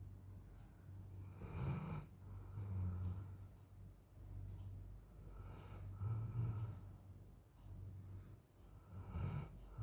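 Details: A Golden Retriever, exhausted and asleep while the weather outside is very hot, snores in low, rumbling breaths that rise and fall every few seconds.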